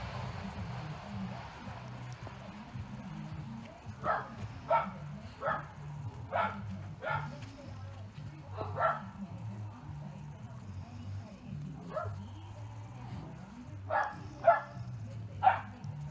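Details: Great Pyrenees dogs barking all together at full strength: about a dozen short, sharp barks in irregular bursts, some in quick pairs, over a steady low hum and faint background talk.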